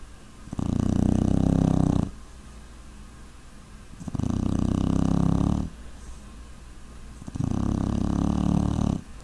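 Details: A sleeping puppy snoring in steady, low, raspy breaths; three long rumbling snores each last about one and a half seconds, separated by quieter pauses of roughly two seconds.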